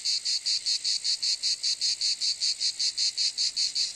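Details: Cicada calling: a loud, high, rasping buzz pulsing steadily about four to five times a second, each pulse a short swell of dry shrill sound, with no other sounds.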